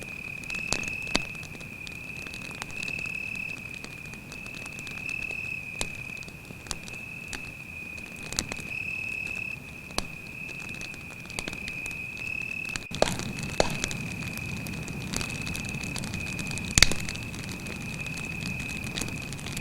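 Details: Night in the forest by a campfire, a cricket keeps up one continuous high trill throughout. Scattered wood crackles and pops sound over it, and a louder burst of fire noise arrives partway through.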